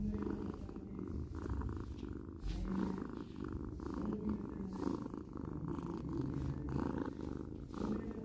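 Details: Pet cat purring up close, a deep vibrating drone with regular breathing pulses about twice per second, faint brief higher tones riding on top, otherwise quiet indoors.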